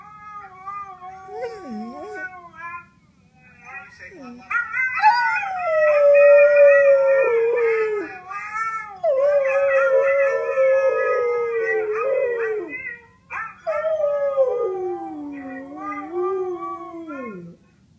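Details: A Siberian Husky howls in long, wavering tones that slide downward, joining in a duet with another howling husky.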